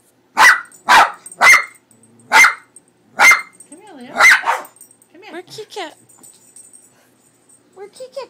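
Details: Dog Leo, startled by the cat picture on a cat food bag, barks six times at roughly half-second intervals, ending in a wavering whine, then a person speaks quietly.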